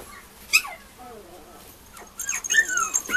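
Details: A pair of female Mame Shiba puppies at a breeder's, giving sharp, high whistled whines that slide steeply downward, one at the start, then a rapid cluster of overlapping squeals and whimpers over the final second.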